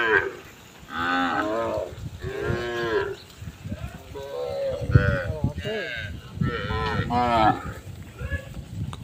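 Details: Many cows gathered together on a road, a herd calling: several drawn-out, wavering moos with rich harmonics, some overlapping, repeated across the stretch over a steady low rumble.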